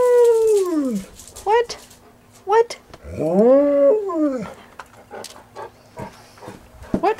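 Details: Three Golden Retrievers aged 11 to 13 howl in long, sliding tones and short yelps, "singing" excitedly and eagerly begging for their dinner.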